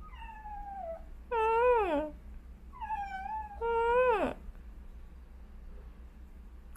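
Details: Tricolor calico torbie domestic cat, an adopted young female, calling from atop a shoe closet indoors, likened to a whining puppy: two pairs of loud, harmonic meows, each a falling whine followed by a louder rising-then-falling wail, about two seconds apart.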